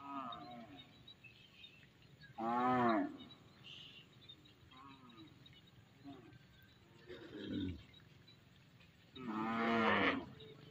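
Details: Village cattle, part of a herd of tens of thousands heading home along the field edges. Three separate moos, each under a second, arrive several seconds apart. The middle one is lower and rougher, with soft rustling in between.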